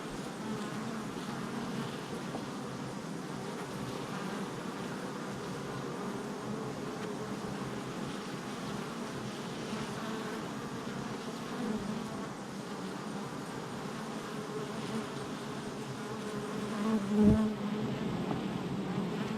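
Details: Honey bees humming steadily outside their hive entrance, July 22nd, 2024; a soft, even drone throughout, with one bee buzzing loudly close by near the end.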